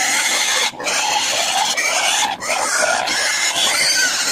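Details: Backyard native pigs squeal nonstop while waiting to be fed a mix of feed and banana, a harsh, broad, high-pitched din broken by two brief dips.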